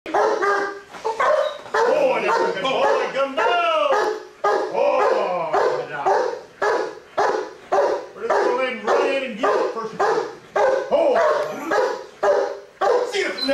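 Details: Giant Schnauzer police working dog barking in rapid, fairly irregular bursts of about two per second, loud and mid-pitched, with a handler's voice mixed in among the barks.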